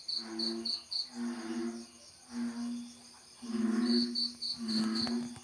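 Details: Spawning American bullfrogs give deep, droning low calls in repeated bouts, with shrill insect trills overhead.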